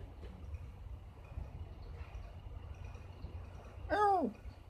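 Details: House cat in a home where a new Bengal cat meets a tabby gives one short, arched, harmonic meow near the end, after several seconds of quiet room noise with faint background murmur.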